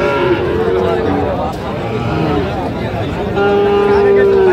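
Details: Sahiwal bull calves at a busy cattle market in Gopalganj, 22 July 2025, where a farmer is buying: a short low moo early on, then a long, steady, slightly falling moo near the end, over constant crowd talk and bargaining voices.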